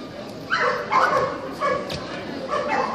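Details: Kerry Blue Terrier bitches in the open class at the Club Terrier 120-year dog show; a few loud, rough barks spaced about half a second apart, with crowd chatter and other noise of the show hall behind.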